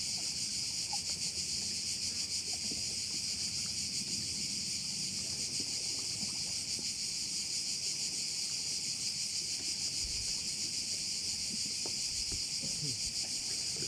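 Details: Crickets calling around a bay on Korčula, Croatia: a continuous, shrill, high-pitched buzzing chorus that pulses faintly about three times a second, steady throughout, over a soft low rumble of wind and water.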